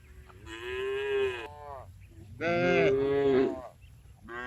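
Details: Afternoon on a village farm as tame cows are driven back to their barn: sustained, harmonic moos, the second louder and slightly wavering in pitch, followed by the onset of another call, against faint low background noise.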